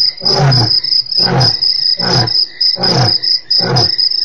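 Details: A male lion gives a series of deep, rough grunting roars, about one each second, over steady cricket chirping; recorded 4 March 2008.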